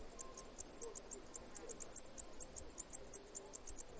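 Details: Crippled cicada in Greece: high, sharp ticking pulses, roughly five per second, slightly uneven in spacing, over a quiet background.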